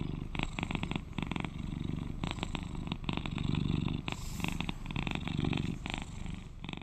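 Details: Loud, close purr of a cuddly 11-year-old male British Shorthair companion cat, a constant low throbbing rumble with regular rasping surges on each breath, roughly every second.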